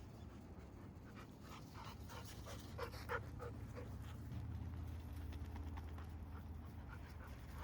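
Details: Golden Retriever panting at night while camping in a camper van by a campfire at Otonomori Campground, Yokkaichi, Mie, Japan, one of two dogs aged nine and two; quick rough breaths about three per second over a steady low hum.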